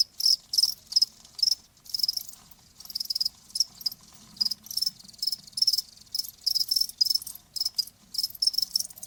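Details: Cricket chirping as a calming sound for tinnitus: high bright trilled pulses in uneven bursts, at times run together, steady and unbroken with no other noise.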